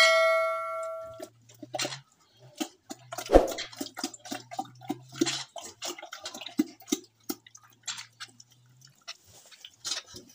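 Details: A pig at a village pig farm in Assam eats with loud, irregular wet crunches and smacks in uneven bursts, with occasional metallic clinks, a brief bell-like tone at the start, and a low steady hum beneath.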